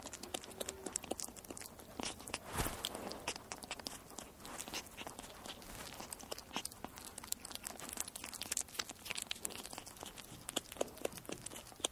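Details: Tearing, crinkling and crunching sounds of eating run through, with sharp clicks and no voiced animal call.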